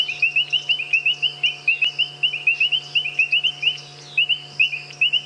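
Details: At sunset, at mud wallows near a road on a safari drive in March, a chorus of painted reed frogs (Hyperolius marmoratus) gives sharp, metallic, high-pitched chirps in rapid overlapping series, with bubbling kassinas' popping calls also heard.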